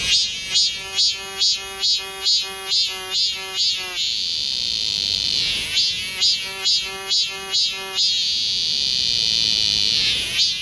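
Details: Cicadas singing in summer in the forest of Galsan Park, Yangcheon-gu, Seoul, South Korea: loud pulsed phrases of about eight repeated tonal beats, each run ending in a sustained high shrill drone, then starting again. The pattern repeats twice.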